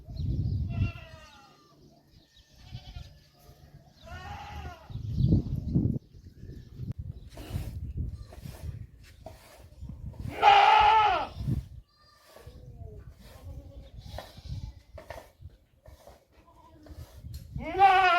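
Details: Goat bleating at a small farm in Ras Al Khaimah, United Arab Emirates, heard for the first time and surprisingly loud and powerful; several wavering, harmonic bleats of about a second each, spaced irregularly, with low background rumble and some speech.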